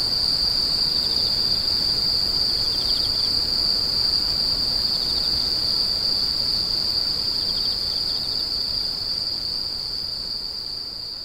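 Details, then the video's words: Screeching insects offered for sleep and tinnitus relief: a continuous shrill trill at a single high pitch, with faint pulsed chirps over it, fading slightly toward the end. "The sound of insects crying"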